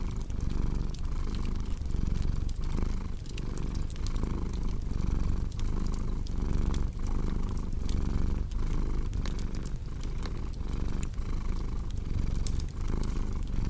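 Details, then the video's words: Deep vibrating purr from a domestic cat, strong and unbroken, its breath-driven pulses repeating evenly, with bright pops of crackling firewood scattered throughout. "Purring Cat"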